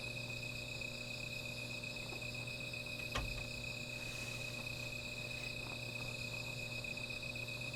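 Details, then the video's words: Insects singing through the night by a small fire, an unbroken high-pitched ringing with a thinner, even higher buzz above. One sharp crack from the fire cuts in near the middle over a low background hum. "Sound of Insects"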